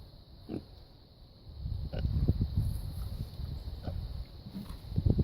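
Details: Sleeping male Red Wattle pigs give a deep, grumbling snore that starts softly and grows into a louder, continuous rasping rumble, with a few short snorts and a steady faint hum behind.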